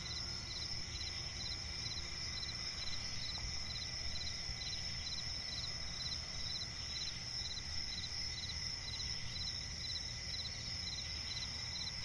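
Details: Crickets in a night forest by a swamp, sharp high chirps repeating steadily every half second or so against a continuous shrill drone and low ambient rumble.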